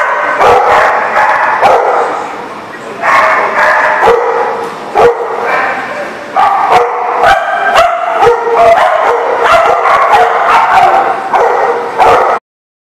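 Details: Group of dogs barking continuously, recorded 15 February 2019: busy overlapping barks and higher yips, irregular bursts with a few louder sharp barks, ending abruptly after about twelve seconds.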